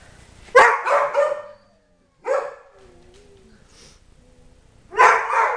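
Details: Tyson the Dobermann, age three, one of four household dogs, in one of his happy bursts: three loud, rough yelps spaced about two seconds apart, with a faint wavering whine between them.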